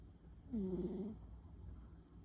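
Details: A single gentle snore from Pon, a female tabby cat fast asleep during her afternoon nap. It is a low, buzzy hum lasting about half a second and then fades into quiet breathing.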